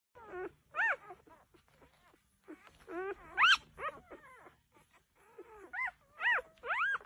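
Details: Vizsla dog giving high, wavering whines and moaning cries, each rising then falling, in bursts with pauses between them.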